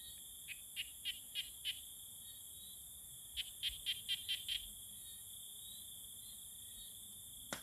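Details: Common tree frogs calling to court one another: two bouts of five or six short, sharp clicking notes, each bout about a second and a half long, over a steady high insect-like whine.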